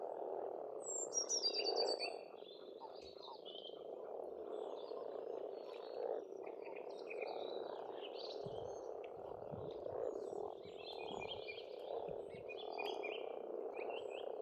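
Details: A spring frog chorus at an Estonian pond, a steady throbbing wall of rapid croaks. Several birds add high twittering and whistled notes, busiest near the start and again toward the end.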